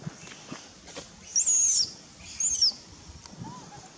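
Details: Baby monkey Nelson, hungry and angry, crying to its mother for milk: two brief, very high, shrill squealing cries about a second apart, with faint rustling and a soft lower note near the end.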